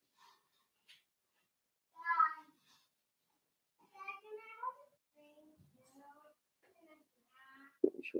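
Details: Four-week-old Cavalier King Charles Spaniel puppies in an indoor puppy pen, being socialized with older dogs and fed puppy mash; thin, high whimpers and short whines come in separate bursts with quiet gaps, in a small, calm room.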